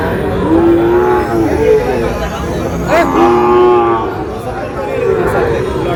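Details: Lowing from Sahiwal cattle, a bull and heifer calves purchased by a Barishal farmer on 19 August: three separate moos spread across six seconds, the middle one rising at its start, amid people talking and passing vehicle noise.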